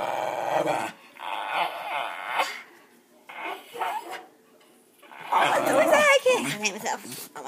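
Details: West Highland White Terrier producing its 'uba' talk: drawn-out, growly moans in three or four bursts, the last one louder and wavering. A person speaks excitedly alongside, and brief applause follows.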